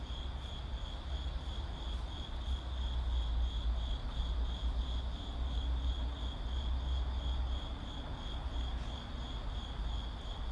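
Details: Crickets trilling in a city setting: a steady high buzzing trill with a slight pulsing texture, partly overshadowed by a strong deep rumble of vehicles that swells in the middle.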